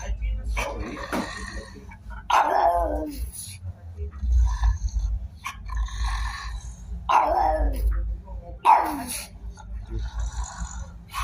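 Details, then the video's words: Several sharp dog barks, some coming in quick pairs, mixed with talking between them and a persistent low droning hum. "Dog Sound"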